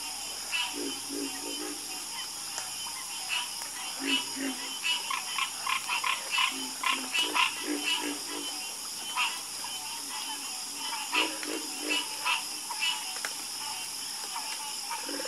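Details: Chorus of frogs croaking for relaxing sleep sounds, clustered bursts of rapid raspy calls with lower croaks beneath, pausing briefly between bouts, under a continuous high hiss.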